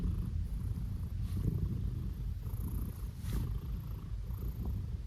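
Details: A male blue British Shorthair cat being petted gives a steady, low, rumbling purr that pulses evenly throughout.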